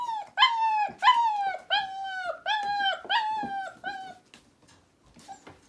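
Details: Puppies aged four weeks, kept indoors and already using a litter box, give six long whines, each starting high then sliding down, spaced under a second apart before fading to quiet.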